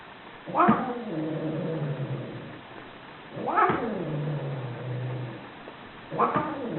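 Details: Angry cat caterwauling with long yowls that start high and slide down into a low, droning moan, each opening with a harsh hissing burst, three in quick succession.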